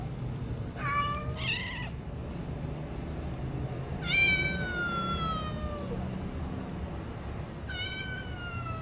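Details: Hungry stray kittens with little food, filmed on a DJI Osmo Action, mewing insistently: two quick overlapping meows, then a long drawn-out falling cry near the middle and another falling meow near the end, above a constant low hum.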